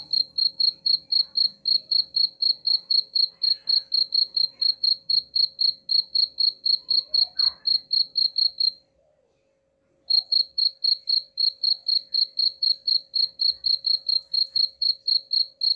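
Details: Cricket chirps used to scare off rats, bright high pulses at about four per second, broken by a short silent gap before carrying on steadily.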